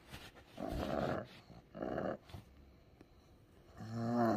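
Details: Ku-chan, a sick pug in a strong seizure, gives two rasping, growly groans about a second apart, then a quieter stretch, ending in a louder, more tonal moan.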